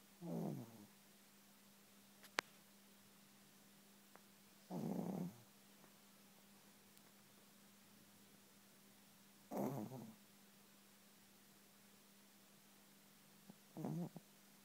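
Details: A Chihuahua sleeping soundly snores in low, rasping bursts roughly every four to five seconds, four snores in all, with near silence and a few faint clicks between them.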